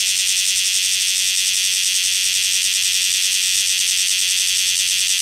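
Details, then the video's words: Cryptotympana facialis cicadas on Rokko Island Greenbelt: a dense, continuous shrill buzzing chorus, loud and steady with a fast pulsing texture, filling the whole clip without pause. "Cryptotympana facialis cicadas on Rokko Island Greenbelt"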